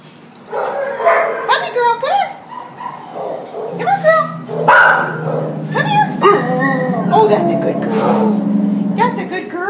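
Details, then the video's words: Border Collie Husky mix dog at the pound, December 27, 2014, wailing: rising and falling howled cries with yips, overlapping each other in a shelter, some other voices or dogs mixed in. "Border Collie Husky at the pound WAILING"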